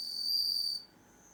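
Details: Home-reared bell cricket singing in darkness, since it stays silent in light: a pure, high, ringing tone sustained for just under a second, then cutting off, leaving only a faint thin tone.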